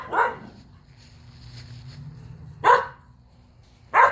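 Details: Three-year-old Skye Terrier available for adoption, outdoors: three short, sharp barks, the first near the start and the other two after a long pause, with a steady low hum in the background.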